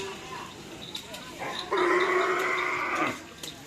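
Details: Karapan sapi race training at Asemanis, Pamekasan, team Singo Barong (Can Macanan): a steady, nasal, sustained bovine bellow of over a second rises out of busy background voices and crowd noise.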